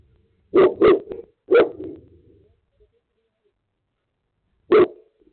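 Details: Boerboel barking after being provoked by other dogs: two quick deep barks, a third a moment later with a short growling tail, then silence and one final bark.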